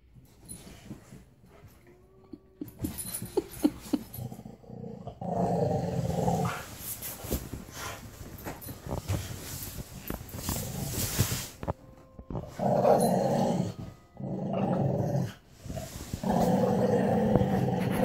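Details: Alaskan Malamute and a pit bull tearing the head off a toy bunny and chewing its ear: deep rumbling growl bursts lasting one to two seconds, recurring several times, with a person's voice telling the dog to drop it.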